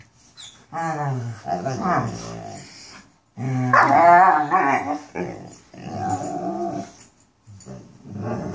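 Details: Mastiffs vocalising in a 'talking' manner: a run of groaning, yodel-like moans that bend up and down in pitch, delivered in several bursts with brief silences between them.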